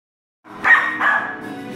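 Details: Scottish Terrier puppy at home, one of two young pups aged four and five months, gives a single short yelping bark that trails off, with Bee Gees music playing faintly behind.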